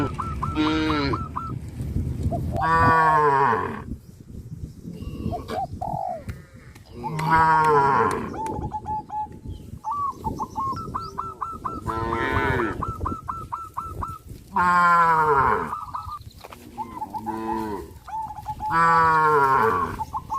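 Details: Cows from a traditional village farm walking toward green grassland, mooing in long, wavering bursts about every four seconds, separated by quick series of high chirps and outdoor rustle.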